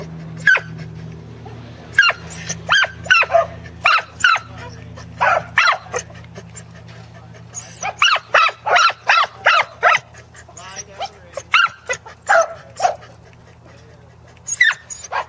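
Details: Two Royston Corgis on their second sheep-herding attempt at a farm in Arlington, 27 March 2011; a corgi barks in quick, uneven bursts of sharp, yappy barks, with a low steady hum behind. Corgi.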